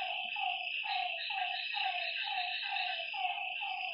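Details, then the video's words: At a lakeside after dark, frogs repeat brief falling croaks about twice a second in a loose rhythm, set against an unbroken high shrill hum of other night creatures. "Lakeside night creatures and frog sounds"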